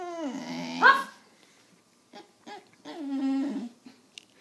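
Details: Penny, a pet dog, whines instead of barking while someone coaxes her to bark indoors: a low drawn-out moan that slides upward into a brief high squeak, a pause with faint shuffling, then another long, low, steady whine.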